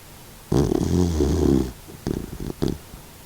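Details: Kokomaro, a 16-year-old senior Doxiepoo mix dog fighting stomach cancer, snores while asleep: one long rumbling, harmonic-rich snore lasting over a second, then a few short snorting breaths after a pause.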